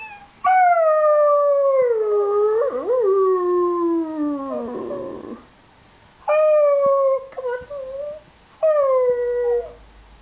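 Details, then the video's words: An 8-week-old male Alaskan Malamute puppy gives a long, wavering howl that slides downward, then two shorter howls. "Diesel alaskan malamute at 8weeks old howling"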